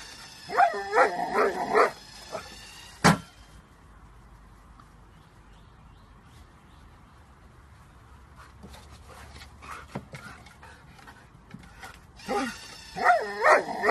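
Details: Excited golden Labrador Retriever playing fetch with a homemade automatic ball-throwing machine, giving high wavering whines and yelps at the start and end, with a sharp mechanical thump and quieter machine noise in between.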